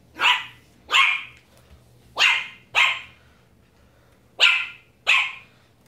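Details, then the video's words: A female Pomeranian puppy barking at a broom indoors: six sharp, high, clipped barks in pairs, each a bright burst followed by a short pause, with a faint low hum beneath. "Pomeranian puppy barking at broom!"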